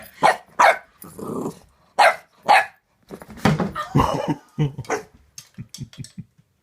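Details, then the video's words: Boxer puppy, female, suspicious of a new squeaky toy, gives short sharp barks in pairs, then a growly grumble and a run of small yips, with a soothing person speaking nearby indoors. "Puppy Boxer vs Vicious Squeaky Toy"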